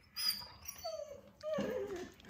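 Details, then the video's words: Male husky at home, watching himself on television and talking back: two thin, wavering whines, the second sliding downward, with faint room noise. "HUSKY Reacts to Seeing Himself on the TV!"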